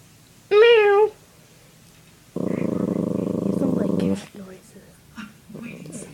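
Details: Indoors, a teased puppy gives a brief high wavering whine, then after a pause a sustained rough growl of almost two seconds, followed by soft murmurs and a person speaking.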